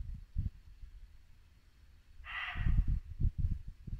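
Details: A single gruff muntjac bark rings out midway through, in late-winter Norfolk woodland at dusk, against the low gurgle of a babbling brook.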